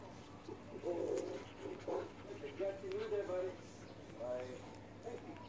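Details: Puppies recorded on 2 September 2019, giving a run of short, squeaky, high whimpers and chirping yelps in quick succession, some rising and falling in pitch, over a low steady hum.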